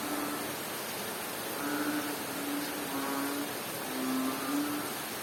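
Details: Rainy night sound from Bohol, Philippines, with a frog giving low, droning hoots. Several short notes cluster toward the end, a few dropping slightly in pitch. A loud, steady rain wash covers everything.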